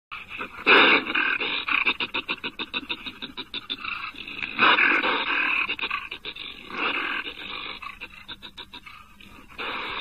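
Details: A North American wolverine makes harsh, rapid, pulsed panting growls. The rasping bursts come in loud clusters a few seconds apart, then fade toward the end.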